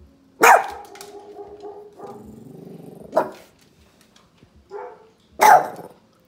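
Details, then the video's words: A recording of another dog barking plays while a pet puppy reacts: three loud, abrupt barks with a steady, humming growl-like tone in between and a short soft yelp. "Cute PUPPY Reacts To Recording of Dog Barking"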